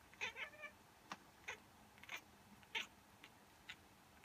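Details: A female cat reacting, as she does every time, to a person sneezing or pretending to sneeze: a string of short, sharp chirps and clipped meows, about eight quick bursts over four seconds in a quiet room.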